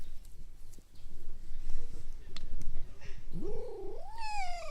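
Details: A fox at Zao Fox Village, recorded on 25 May 2015. A constant low rumble of background noise fills the first three seconds. Then comes a single drawn-out, wavering whine that rises, dips, then climbs again and fades.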